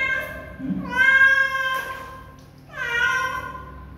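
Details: Two long, steady kitten meows about two seconds apart, strong and tonal with a slight downward slide at their ends, preceded by a soft low murmur; quiet background otherwise.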